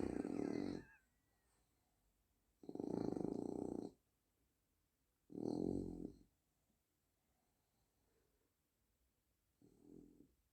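A French Bulldog snores in loud, rasping breaths about every three seconds.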